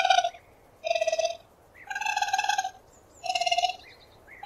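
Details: A raccoon gives four rough, vibrating trills about a second apart, some opening with a short upward squeak, against a quiet background.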